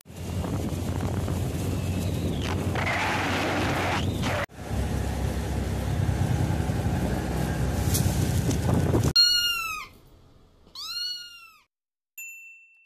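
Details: Bumbbe, a plump pet cat described as naughty, funny and fond of sticking out its tongue, gives two short arched meows, each falling at the end, after a long stretch of loud rumbling vehicle noise.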